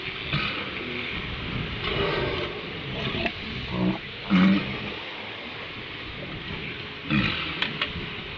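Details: Walruses on Round Island at sunrise give deep, gruff grunts and roaring bellows in short bursts over steady surf and wind.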